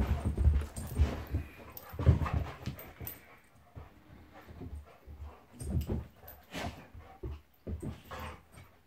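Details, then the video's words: Pet Golden Retriever Monty roughhousing with Labrador companion Eric: deep grumbling growls and huffing breaths in uneven bursts, strongest in the first few seconds, then softer snorts and scuffles. "Monty the Golden Retriever vs Eric the Labrador"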